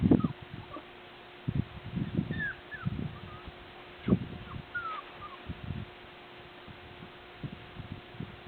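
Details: Border Collie puppies of Nell x Skeet litter 6, out exploring and learning to climb stairs on April 8 2016; a few brief, thin, sliding whimpers rise above heavy thumping and scuffling of paws.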